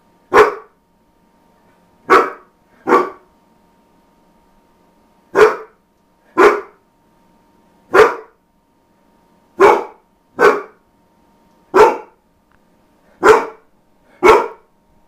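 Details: Domestic dog that almost never barks, caught on a rare occasion: eleven short, sharp barks in a quiet room, some in quick pairs, spaced one to two seconds apart over fifteen seconds, with a faint steady hum behind.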